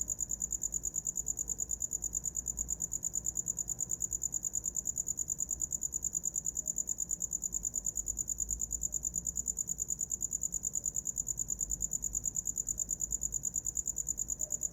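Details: Continuous high cricket chirping, regular and unbroken, sharp pulses about three each second forming a soothing sleep soundscape.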